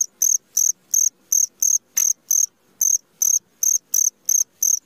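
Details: A cricket chirps at midnight, sharp, shrill pulses repeating roughly three per second in a fairly even rhythm, one short pause near the three-second mark, faint low rustle beneath.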